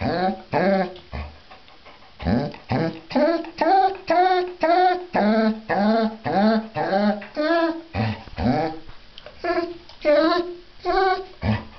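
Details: A female Basset Hound during her bath gives a rapid series of short, tonal yowls and whines, rising and falling in pitch.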